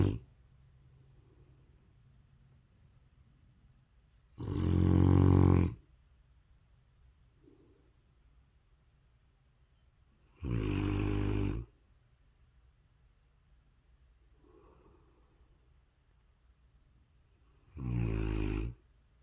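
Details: A big young Rottweiler snores loudly while asleep, with deep, rasping breaths spaced several seconds apart; recorded March 8, 2022.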